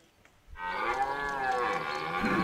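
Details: A rutting red deer stag at De Hoge Veluwe park during the 2023 rut, an area where deer are fed apples; one loud, sustained, guttural roar starts abruptly and holds steady with a slight arch in pitch.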